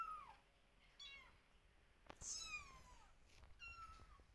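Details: Several young kittens crying for their mother while she stays away and observes; repeated high, wavering meows that slide downward, roughly five calls overlapping at times, one loud shrill cry near the middle, with soft background rustling.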